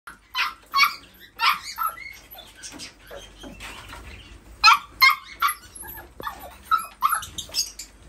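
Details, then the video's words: Toy poodles giving a busy stream of high, squeaky yelps and whimpers, overlapping and irregular, several per second, with low background rumble. "Toy poodles"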